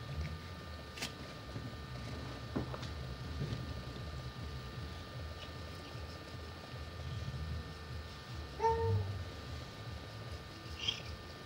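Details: Abyssinian cat named Fleur, indoors while being brushed on her face and enjoying a head rub, filmed with a camcorder, gives one short, arching meow near the end amid faint handling noises and a steady electrical hum.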